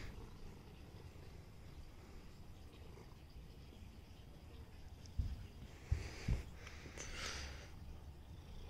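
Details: Meatloaf the cat purring indoors: a low, steady rumble that fills the bottom range throughout, with a few sharp clicks and knocks around the middle and a brief brighter rustle near the end.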